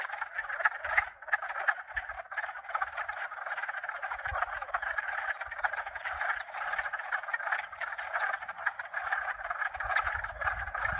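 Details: Dense frog chorus of at least two, perhaps four species calling together at night-time outdoors, a continuous mass of overlapping croaks and trills, with occasional low wind rumble and a hot tub pump underneath.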